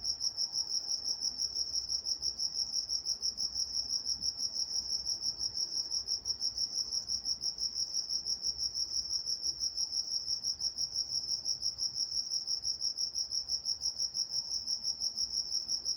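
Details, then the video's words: Crickets at night in Walnut, California, chirping in a steady, high, pulsing trill that repeats about three times a second without pause, with faint low rumble beneath. "Nature Sounds Night Time Crickets in Walnut, California"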